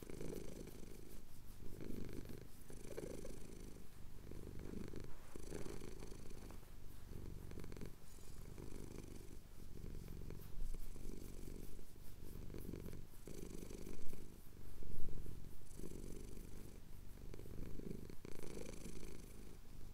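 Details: Deep continuous purring from a male cat enjoying a chin scratch at sunrise in the Cotswolds, captured on a Tascam DR-07X; the rumble swells and dips with each breath, roughly once per second, with faint rustling.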